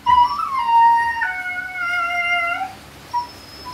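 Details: A Siberian Husky, during natural mating, lets out a long, tonal whine that wavers, jumps higher and holds, then slides lower and fades, with a brief squeak after it.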